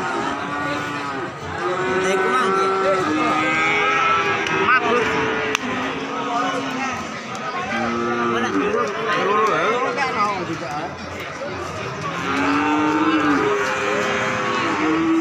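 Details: Calf having a nose rope fitted, giving repeated short, wavering moos and bleat-like bawls, about six over fifteen seconds, some rising then falling, with a man talking in between.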